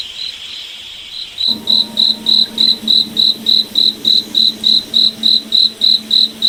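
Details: Night-forest cricket starting after a quiet second and a half, then giving evenly spaced high chirps, roughly three or four per second, over a soft low steady hum.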